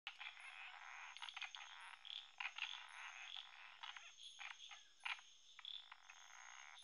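Indian frogs give rapid, rasping croaks in a dense, crackling chorus that defends territory.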